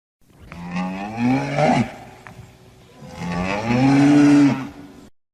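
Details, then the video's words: Cow lowing twice in succession: each moo is breathy and rough, starting low and sliding upward, with the second longer and louder, swelling toward its end. "Cow Moo"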